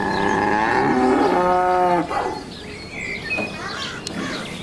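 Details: Baby cow mooing: one long, drawn-out, harmonic low moo lasting about two seconds that ends abruptly. Quick bird chirps sound at the start, and softer sounds follow.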